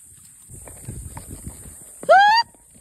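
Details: Hawthorn, a Morgan Quarter Horse cross ranch horse in Idaho, gives a single short, clear rising whinny of about a third of a second near the end, after soft low rustling and scattered thumps.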